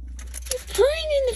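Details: A Siamese cat sitting in a fridge gives a short meow that rises and then falls away, after a brief chirp.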